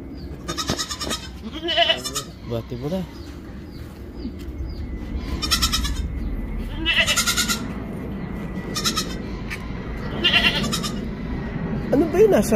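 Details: Mother goat and kid being moved to a new place: several wavering, nasal bleats spaced a few seconds apart, mixed with people talking nearby and rustling sounds.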